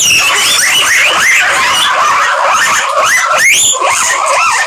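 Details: Several guinea pigs squealing together, a dense chorus of high rising whistled squeals that overlap continuously, some sweeping sharply upward, with no pauses.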